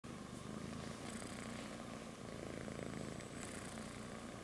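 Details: A kitten sleeping on its mother's belly, purring: a continuous low rumbling purr with soft breathy hisses about two seconds apart.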